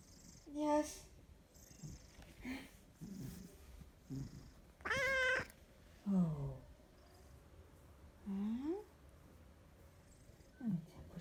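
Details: Big Maine Coon cat from the south of France, purring, snoring and meowing indoors: several short rising and falling meows with squeaky trills among them, and a woman speaking softly in French between the calls.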